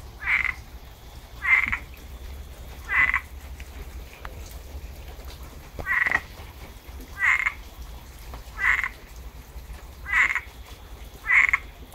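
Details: Rain-season frog chorus in Tampa, Florida, with eight brief, bright croaks repeated at fairly even intervals of about one and a half seconds against steady low rumble.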